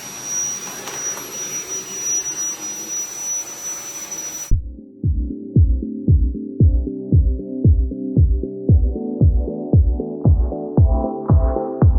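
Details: A short stretch of background noise gives way to rhythmic electronic music with evenly repeated plucked tones.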